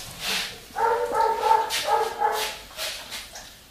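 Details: Labrador mix dog during a cat test on 14 September 2019, indoors; a high, tonal whining whimper held for nearly two seconds in several joined pulses, then softer breathy sounds.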